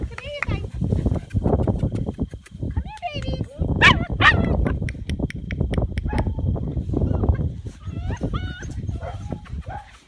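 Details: Bernese Mountain Dog puppies playing together a week before leaving for new homes; several short, high whining yips rise and fall across the clip, over low scuffling rumble and human voices.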